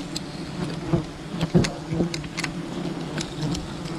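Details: Wild bees hum around their colony while honey is harvested, a low droning buzz interrupted by several dull thumps and crackling bursts.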